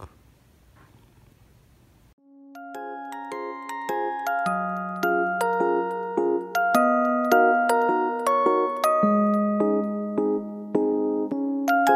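Bright glockenspiel-like music plays after a brief quiet start, with no animal sound heard.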